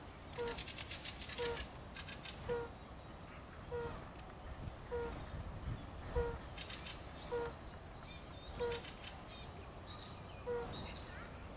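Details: European fire-bellied toad (Bombina bombina) gives soft, mellow 'oop' calls, repeated about once a second, on 4 April 2016 in a park in Kraków.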